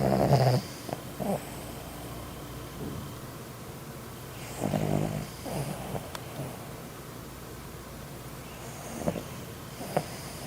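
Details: Sleeping dog snoring indoors, loud enough to wake another dog: low, rasping snore bursts roughly every four to five seconds over a steady background hiss.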